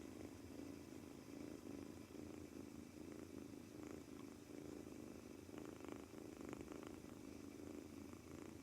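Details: Male British Shorthair kitten, two months old, newly brought home and seemingly tense, purring throughout its first day; low continuous rumble with small rhythmic pulses and a few light taps.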